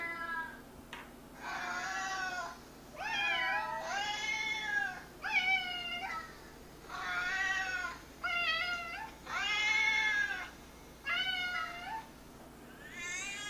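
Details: Indoor house cat answering cat meows played from an iPad: a run of loud, drawn-out, harmonic meows, each about a second long, some wavering or bending down at the end, separated by short pauses.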